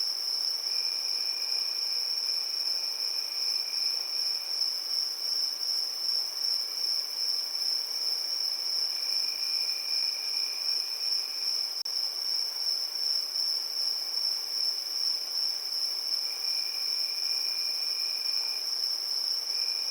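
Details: Evening crickets in summer keep up a constant high, ringing trill, while a lower-pitched caller starts and stops in bursts of several seconds across the recording.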